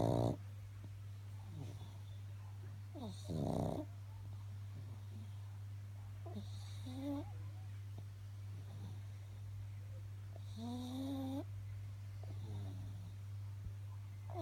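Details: Pug snoring while asleep after a busy morning: soft, low breathy snores, with a couple of louder rasping breaths and some faint thin squeaky sounds, over a steady low electrical hum.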